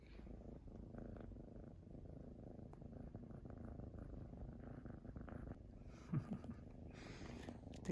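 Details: A black kitten in an affectionate mood purrs steadily on a newly laid hot carpet in November, with a deep, low, rumbling throb.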